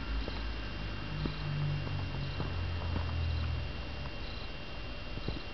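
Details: Soft, low continuous purring from a sleeping three-month-old female Balinese kitten, a steady rumbling hum with slight swells, indoors with faint background hiss and occasional small ticks.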